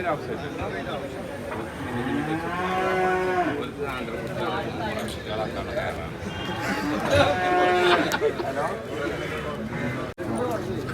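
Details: Buffalo calves for sale at a livestock market, five of them bought and tied together; a low, sustained bellowing moo followed by a rougher, louder call, over steady crowd murmur and talking.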